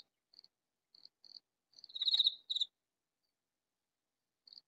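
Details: Katydid calling loudly in a vegetable garden, hidden from view: a few short high scratchy ticks, then a loud raspy buzzing burst and a brief second rasp, followed by quiet and one last tick.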